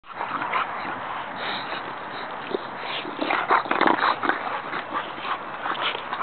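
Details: Bulldog puppies playing on a playground, making continuous rough, noisy grunting and snuffling sounds with short louder bursts partway through, over a steady background hiss.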